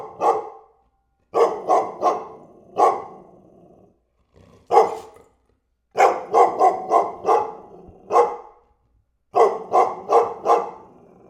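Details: Repeated loud dog barks in clusters of three or four, sharp and harsh, with brief pauses between bursts and a faint low growly undertone trailing some barks.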